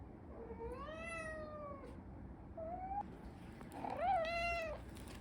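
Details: Pet cat indoors, one that tries to run away from home every day, meowing: a long drawn-out falling meow, a short rising chirp-like call, then a louder arched meow, over a quiet room background.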